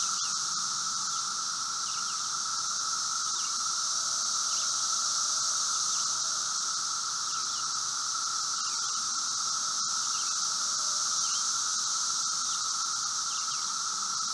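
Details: A massed chorus of Brood V 17-year periodical cicadas (Magicicada) outside a residence in Logan, Ohio, June 4, 2016, about 3:10 p.m., gives a steady droning hum with a higher hiss above, cicadas at multiple distances.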